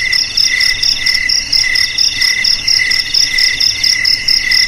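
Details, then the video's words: Cricket chirping continuously, offered as a sound to drive rats away from homes, garages, storerooms and rice fields; high, shrill pulsed trills in two layered tones, pulsing in quick bursts about twice a second with no other sounds. "Suara JANGKRIK Pengusir TIKUS Paling Ampuh untuk di Rumah,Garasi,Gudang,Sawah Agar Aman dari TIKUS"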